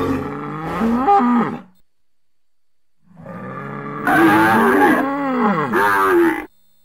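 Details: Bull out in nature, giving deep harmonic lowing: a short moo that breaks upward near its end, a pause of over a second, then a longer wavering bellow of about three seconds that rises and falls.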